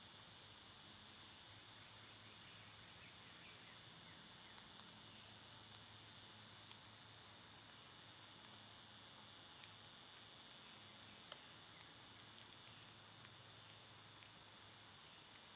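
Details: Cicadas in summer, recorded on one of their quieter days, hold a steady, unbroken high-pitched hiss with a shimmering band on top. A few faint clicks and ticks sound through it.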